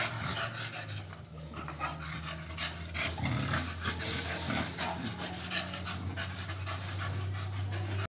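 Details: American Bully panting rapidly and unevenly, about three breaths a second, over a constant low mechanical hum.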